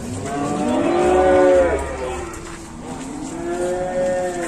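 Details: Cow at an Indonesian livestock market gives two moos: a long, strong bellow that rises and falls, a pause, then a second lowing call starting up, over low background rumble.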